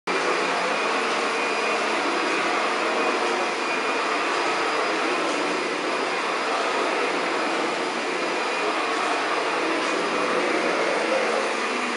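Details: A vacuum cleaner roars steadily from start to finish, with no animal sound.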